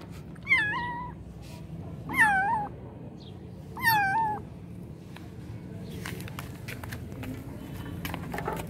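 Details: Three kittens calling: three clear, wavering meows about two seconds apart in the first half, followed by scattered clicks and faint rustling over a low indoor hum.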